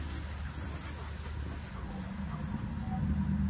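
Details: A low engine-like rumble with a faint murmur of voices rises slightly toward the end, and no animal call is heard.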